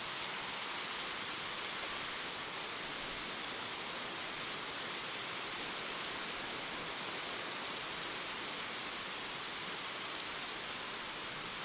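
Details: Grasshopper sound: a very high, continuous shrill hum that never pauses, over a steady broadband hiss. It may be a dense chorus, with no separate calls standing out.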